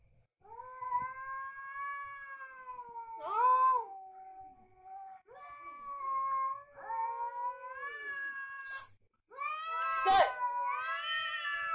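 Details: Fighting cats trade long, wailing yowls with strong harmonics. The drawn-out cries bend up and down, swell louder and fade, and are broken by brief sharp bursts near the end.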